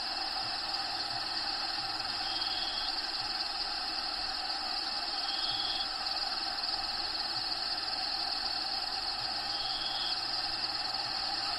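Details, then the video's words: Cricket sound recorded inside a bearded dragon's vivarium, where Diego the dragon lives: a continuous high buzzy trill of fast pulses, broken by a few brief thin whistles, over a dense background hiss. "RELAXING SOUNDS CRICKETS LOCUSTS NATURAL HABITAT SOUNDS"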